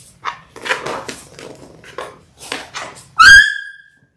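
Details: Six-week-old Labrador Retriever puppies from a litter of six born January 18, 2022, filmed indoors on a live puppy cam: a run of short, breathy yips and scuffles, ending in a loud, high, drawn-out whining yelp.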